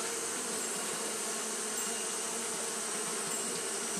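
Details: Steady humming drone of Japanese honey bees fanning on a hot day, dense and unbroken, with a low tonal band under broad rushing hiss and a few faint high ticks.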